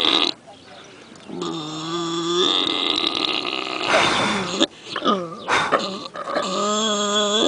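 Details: Dreaming pig at Pioneer Village in Phoenix, snoring. Several groaning, overtone-rich snorts that waver and bend in pitch, some a second long and others short and choppy, with rasping intakes of breath in between.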